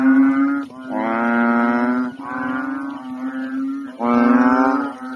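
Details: Large inflated frogs calling loudly at nighttime from a pond in the Philippines; four drawn-out, droning croaks, each lasting about a second, with rich buzzy overtones and brief pauses between them.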